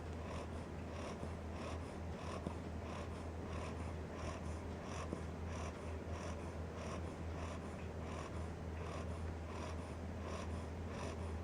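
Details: A 10-week-old Cocker Spaniel puppy snores in its sleep, each breath a soft, raspy snuffle coming about twice a second, over a low, steady hum.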